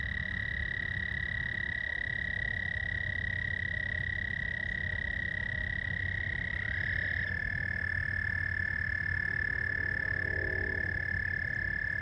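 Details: Night frog chorus at George Lake in Whiting, Indiana, 15 May 2020. One sustained high trill runs throughout and steps slightly lower partway through as another caller takes over. A faint buzzy chatter sits lower near the end.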